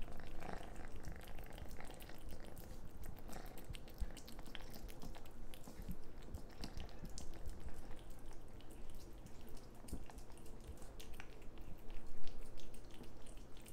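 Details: Orange cat eating sloppily indoors, deep steady purr beneath a dense patter of moist chewing and licking clicks, with one louder burst near the end.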